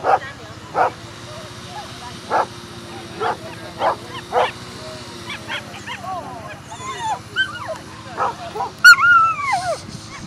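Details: Whippets Fierce Fireball Crybaby and Fierce Fireball Blaze at the FCI European Championship 2018 lure coursing: a few short sharp barks spaced about a second apart, then excited rising-and-falling whines and yelps, with a steady background hum and faint voices.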